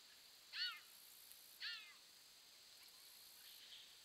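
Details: A baby bobcat crossing a bridge, caught on a trail camera, gives two high, thin mewing calls about a second apart over a steady background hiss.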